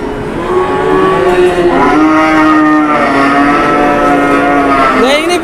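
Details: Enraged cow charging during cattle haggling in Indonesia: a single drawn-out, loud moo lasting about five seconds, pitch sliding gently downward then rising again at the end, with crowd and engine-like noise behind.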